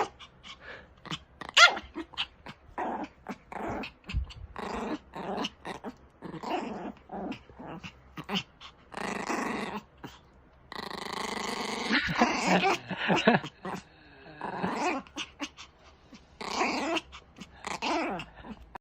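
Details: Indoor pet Pomeranian, angry and defending its owner, keeps up a long stretch of rapid ragged snarls and growls with brief breaks, rising into louder, tonal whining growls midway.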